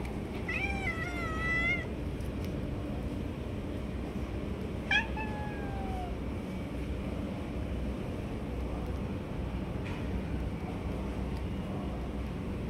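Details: Stray cats competing and snatching food from one another: a wavering, harmonic-rich meow opens, a second falling meow follows around five seconds later, then only low background hum with faint clicks.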